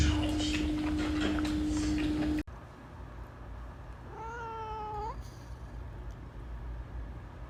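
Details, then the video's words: A loud burst of noise with a steady hum cuts off, followed by quiet, then a single short domestic cat meow that holds level and drops slightly at the end, over faint background noise. "Cat Meowing"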